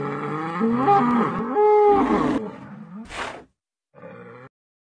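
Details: Bull, an intact adult male of Bos taurus, giving a loud, rich harmonic bellow. A low moo swells and holds for about two seconds, then a harsh breathy snort and a short final grunt follow.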